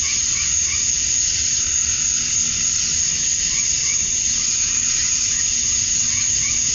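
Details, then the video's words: Male cicadas chirping to attract females at dusk on a summer night in Georgia, USA: a dense, steady, high hissing buzz without pause, with faint higher chirps surfacing now and then. "Cicadas at Dusk, Summer Night"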